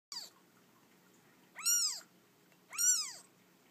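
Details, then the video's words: Orphan kitten only a few days old, rescued from a feral cat colony, gives three high, thin meows: a brief opening cry, then two arched, harmonic-rich calls about a second apart, over a faint low hum. "Orphan kitten rescued from feral cat colony. Only a few days old."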